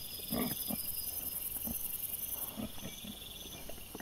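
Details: Wild boar piglets filmed by a trail camera on 26 September 2024, giving short low grunting bursts spaced irregularly through the clip, over a steady high insect chirring.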